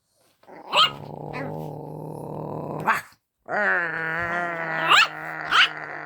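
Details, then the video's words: Luna, a pet dog, vocalising at another dog, Daisy, for the first time: long, steady, low growling rumbles broken by a silent gap, punctuated by a few sharp, short barks. "Luna barking at Daisey for the first time"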